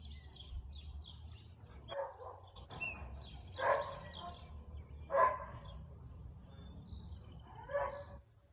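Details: Husky barking on 2 April 2022 at 2:57 pm: four short, harsh barks spaced irregularly over about six seconds, each loud burst standing out above steady chirping of small birds and a low background rumble.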